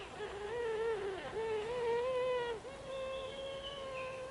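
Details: Overlapping sounds from several Japanese honey bees in a hive box during swarming season, 20 April 2022, as new queens keep emerging: drawn-out, humming notes, each about a second long, gently rising and wavering, then a steadier held tone.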